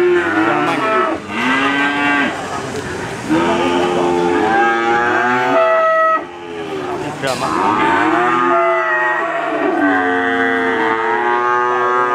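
A Simmental cross calf gives a run of high, nasal moos that swoop up and down, overlapping one another.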